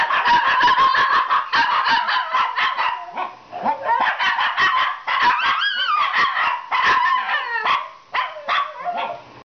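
Shih Tzus howl in wavering, mid-pitched tones broken by quick yips and barks.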